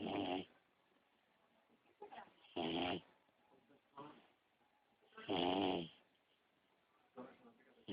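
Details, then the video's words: Sleeping beagle puppy snoring indoors in a steady rhythm, with loud rasping inhales about every two to three seconds and softer breathy exhales between them. "beagle puppy ziggy snoring"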